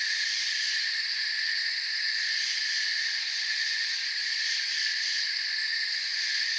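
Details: Crickets in a forest at night, heard as a dense, unbroken chorus of high, shrill trilling. Several steady layers hold at an even level throughout, with no pauses and no other clear sounds.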